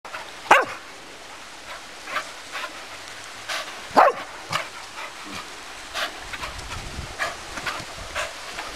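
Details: A Cocker Spaniel at a river on a warm afternoon gives sharp, scattered barks and yips at irregular intervals.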